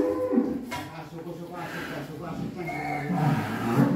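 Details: A fat cow kept in a pen in Subang, Indonesia, gives a low, droning moo with steady layered tones that swells toward the end, while a man talks close by.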